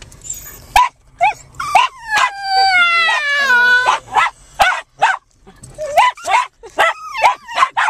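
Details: Chey, a rescued 7 lb male Japanese Chin, sitting on a lap in a parked car before a walk in a local park, excitedly "talking" in a long wavering yodel-like whine that slides downward, mixed with sharp barks from two other dogs.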